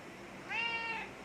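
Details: Pet domestic cat calling to its owner, who says it missed them during a month apart; a single clear half-second meow, steady and slightly rising, with rich harmonics, in a quiet indoor setting.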